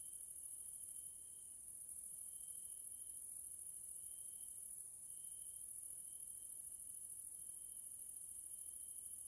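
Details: Grasshoppers calling in the evening in a nature area in Hungary, Central Europe: a steady, very high shimmering hiss runs throughout, with a thinner lower whistle-like tone breaking into long pulses, each lasting about a second or two.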